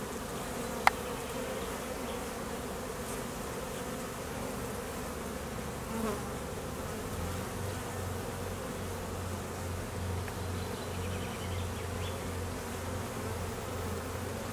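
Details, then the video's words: Honey bee foragers and drones on midday mating flights at an apiary in peak summer honey flow; a steady, dense hum of many bees, a sharp click early on, and a deeper droning tone joining in the second half. "Honey bees working hard in high nectar flow"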